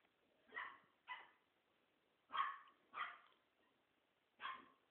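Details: French Bulldog puppies playing; five short, yappy barks in irregular bursts over five seconds, each sharp and slightly hoarse, with quiet gaps between.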